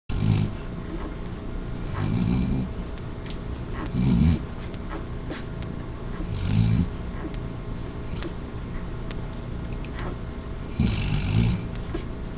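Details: Kylie, a yellow Labrador Retriever mother, asleep on a live puppy webcam while two of her puppies nurse and Buddy sleeps nearby; low rumbling snores swell roughly every two seconds over faint rustling and ticking.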